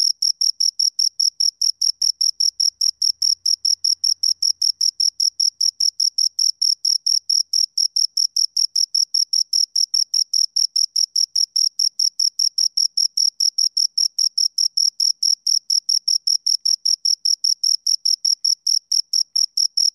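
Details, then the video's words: Two crickets keeping up an unbroken stream of bright, high chirps, fast and even, heard up close with no other noise. "Two Crickets Chirp Sounds"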